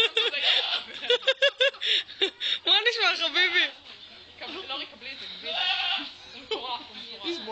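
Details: Goat giving weird, funny vocalisations: a strongly quavering, vibrato-laden bleat in the middle and shorter wavering calls later, mixed with people talking and chuckling.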